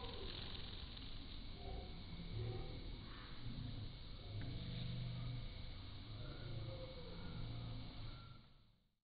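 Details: A landing carpenter bee's deep, droning wing buzz, slowed down five times, swells and fades in low humming bursts.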